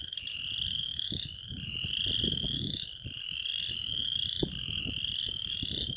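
Western chorus frogs give rising, creaky trills, like a thumb run along a comb's teeth, in a steady chorus.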